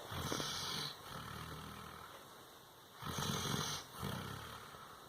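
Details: Ajax, a tired Doberman, snoring after a hard day: long rough breathy rasps, each lasting about a second, separated by quiet pauses, with a low rumbling undertone.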